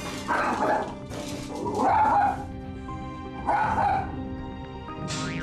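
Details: A small, territorial pet poodle gives harsh, snarling growls in short bursts over background music, growling at its owner after being left alone in the morning and charging at him as if its space were invaded.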